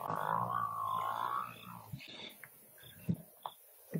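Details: Lion from a family bringing down a large buffalo bull, with the male joining in: a sustained, rough harmonic growl lasting about one and a half seconds, then quieter scuffling and soft thuds.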